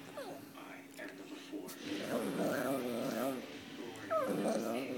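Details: A 2.5-year-old female Morkie attempting to say "mama" gives a long, wavering, moaning vocalization with a growly, throaty quality, then a sharp higher whine, indoors with a person coaxing her.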